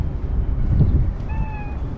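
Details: Stray white cat living among tetrapods on a breakwater, greeting its caretaker as if complaining of lateness; one short, clear, level meow near the end over a steady low rumble of wind and surf.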